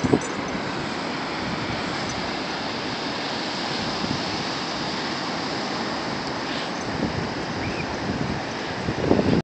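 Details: Steady wind buffets the microphone over the constant wash of ocean waves on an open shore, with no clear animal voice standing out.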